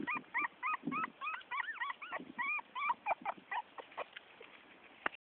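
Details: A 4-week-old female Miniature Pinscher puppy, outside for the first time and disliking it, gives a rapid string of thin, arched whimpering yelps and howls in a high, wavering voice.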